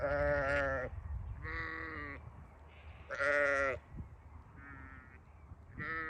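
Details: Several sheep on a farm bleating in quick succession, about five quavering bleats of varying loudness, the strongest in the middle, with low background noise.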